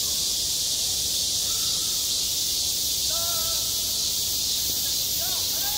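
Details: A steady wall of high cicada buzzing fills a school playground in high summer, with faint, clear sustained tones and short gliding notes appearing behind it.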